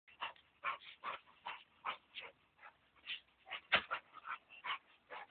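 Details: Male American Staffordshire Terrier, one year and seven months old, jumping; short high yips and whimpers come in quick bursts roughly every half second, steady throughout with no other clear sounds.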